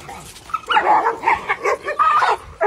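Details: German Shepherd puppy letting out a rough, muffled run of barks and yips lasting about two seconds, over a noisy indoor background.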